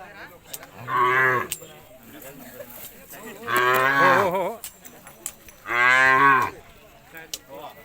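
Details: Khillar cattle at a cattle show, with an announcer calling token numbers nearby; three loud moos spaced about two and a half seconds apart, each a steady, rich, harmonic bellow about three-quarters of a second long.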